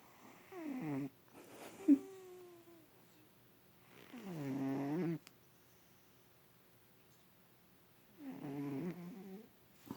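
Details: Bubba, an adopted cat nicknamed Bubs, snores loudly while sleeping in a lap for the first time, twitching as he sleeps. Three droning snore breaths come roughly every four seconds, with quiet pauses between and a single sharp click.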